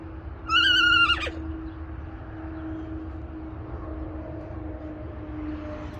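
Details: Alpaca giving a single short, high, harmonic squeal, whinny-like and slightly wavering, lasting under a second, then a steady low hum and faint background noise for the rest.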